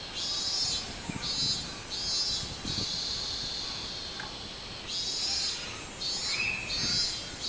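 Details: Minmin-zemi, the robust cicada, heard 24 July 2016 in rhythmic buzzy bursts: four pulses, a long sustained buzz, a pause, then three more pulses, against a background of constant insect hiss and soft low knocks.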